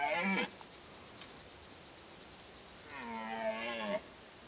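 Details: Red deer in the High Tatras during the rut: a short harmonic bellow at the start and a second one about a second long that dips and rises. Fast, regular high pulsed chirping runs over the first three seconds.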